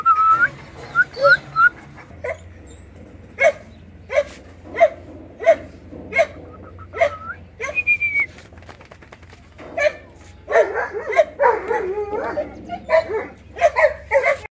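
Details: Household dogs, a German shepherd, a dachshund and a 16-year-old Labrador. Short whimpering yelps repeat roughly every second, with thin whistle-like notes early on and a denser run of overlapping whines near the end.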